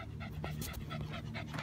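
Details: Two Shih Tzus on a walk on a hot summer day, panting in the heat; soft rhythmic breathy puffs over a steady low hum.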